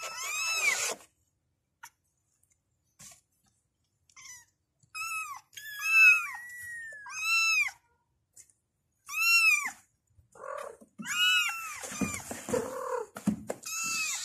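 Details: Kittens cry out for their mother in bursts of sharp arched mews, several in quick clusters with one long sliding call, separated by silent gaps.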